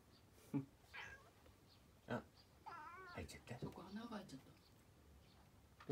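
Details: Domestic cat Jun-chan, only its tail showing from a cat tower, gives a wavering, drawn-out meow in a quiet room, mixed with soft human speech and a few sharp knocks.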